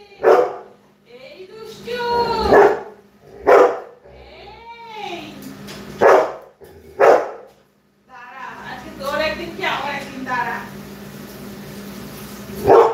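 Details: Labrador Retriever barking in short, loud single barks at irregular intervals of one to five seconds, mixed with wavering tonal voice sounds and a woman talking in Bengali nearby; a steady low hum runs underneath.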